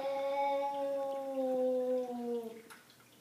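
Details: Zumani and Malaila, Savannah cats, faced with an unwanted visitor: a drawn-out, rich harmonic wail held for about two and a half seconds, sliding gently downward before fading, followed by a faint click in a quiet indoor space.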